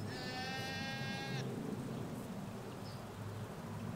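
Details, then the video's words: Hampshire sheep field with ewes and their lambs: one clear, flat, high-pitched bleat of about a second and a half at the start, then steady low traffic hum and a faint bird note. "4K Sheep Field - One Hour Sound and Video"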